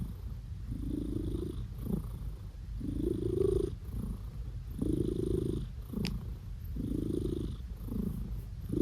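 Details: A male blue British Shorthair cat, being petted, purrs continuously with a deep throaty vibration. The rumble rises and falls in rhythmic pulses roughly every second or two as the cat breathes in and out.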